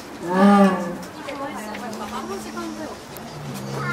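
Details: A female jaguar in Tennoji Zoo, Osaka, on the evening of 24 October 2017 gives a loud, deep, moaning call, plaintive-sounding, toward a male in the neighbouring enclosure, then trails into lower drawn-out tones.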